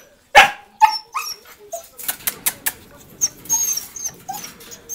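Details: Dogs kept at a rescue for abandoned animals in Coin, Malaga, Southern Spain, shut in for the morning: one loud sharp bark, then a second, followed by a run of quicker, softer yips and whines over a person's voice.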